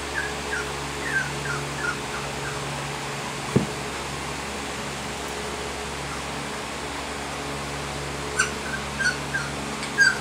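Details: Female Sheepadoodle puppy, 20 weeks old, gives a run of soft, thin, high whimpers in the first two seconds, then brief clicks and taps near the end, over a steady low fan-like hum indoors.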